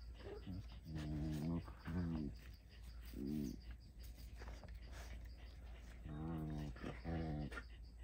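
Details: Puppy beside its mother, giving drawn-out moaning whines in short bursts of about half a second, with rich stacked overtones. There are several separate bursts, plus quieter rustling and low background hum between them.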